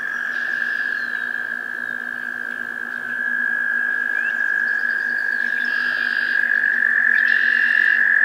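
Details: American toad in a Maynard, Massachusetts spring swamp in May 2024 gives a long, steady, musical trill at one pitch, with brief higher chirps from other callers, possibly birds such as red-winged blackbirds, and a low hum behind.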